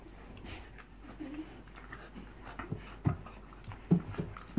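Soft breathy panting from a Bull Terrier comes and goes, broken by short low grunting whimpers near the end. A person's quiet voice sits faintly in the background.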